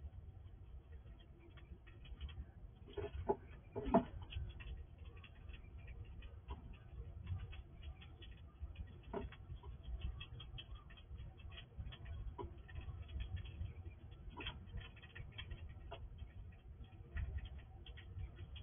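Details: At night a wild squirrel that comes to a house gobbles food quickly at a sliding drawer, making steady soft gnawing clicks and rustles with a few stronger crunches early on, over a constant low rumble.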